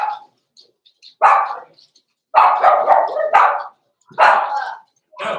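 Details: Blenheim Cavalier King Charles Spaniel puppies Roman and Blue, born November 14, 2022, in an indoor puppy pen at Christmas time. Short, harsh, mid-pitched barks come in clustered bursts, with a rapid run of yaps near the middle and quiet gaps between.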